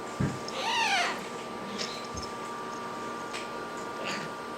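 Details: A pet 17-week-old serval gives a short, high, falling cry after a soft thump, then goes quiet.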